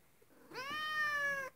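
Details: Pet cat meowing at an uncatchable ceiling spider indoors: a single clear, sustained meow of about a second, rising slightly at the start and dipping at the end, over quiet room background.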